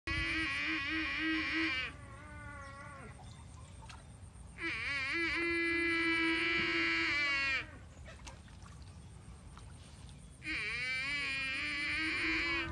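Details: Water buffalo calf crying for its mother: three long, drawn-out, harmonic bawls of about three seconds each, wavering at the start, then held steady, separated by short pauses, over a constant high thin hiss.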